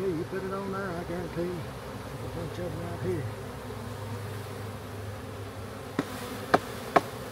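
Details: Backyard honey bee swarm being moved into a new hive: a man's voice opens over the bees, then a steady low buzzing hum carries on, with three sharp taps near the end.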